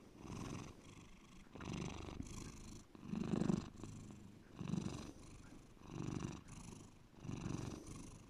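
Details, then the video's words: Domestic cat Bear in a deep, rhythmic purr: low vibrating rumbles alternate on inhale and exhale, around six to seven pulses, steady and close. "my cat Bear deep purring"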